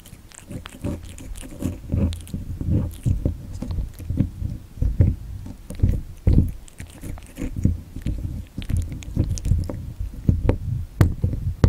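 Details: Young cat born in late 2019 crunching cat candy, recorded up close for ASMR: loud bursts of biting and chewing in uneven clusters, brief pauses between, constant low hum behind.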